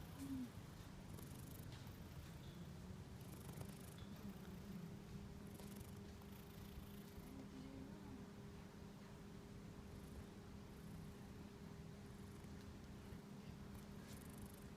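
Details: Affectionate, clingy cat living at a local shrine in Japan, purring as it rubs up against a person; low steady rumbling purr throughout, under a constant electrical-like hum and faint rustling.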